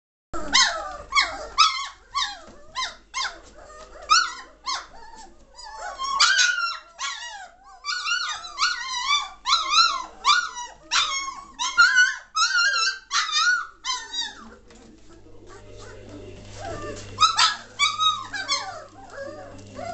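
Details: German Shorthaired Pointer puppies of the 2014 Katelands Gundogs litter, aged 3 weeks 1 day, recorded 22 May 2014, lively and noisy: dense overlapping squeals and whines, many rising and falling, with short pauses and a brief quieter spell.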